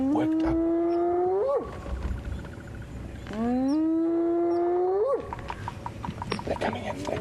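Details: A spotted hyena, one of a group harassing the Tsalala lion pride on an October sunrise safari, gives two long whoops about three seconds apart, each low then sweeping sharply upward, apparently rallying other hyenas as they come in; guide speaks softly between.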